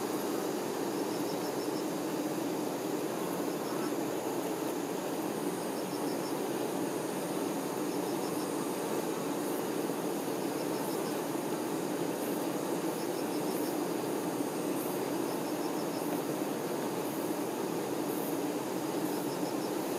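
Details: Worker honey bees tending the queen make a steady, dense low-pitched buzz lasting the whole stretch, while short bursts of high insect-like chirps recur about every two to three seconds.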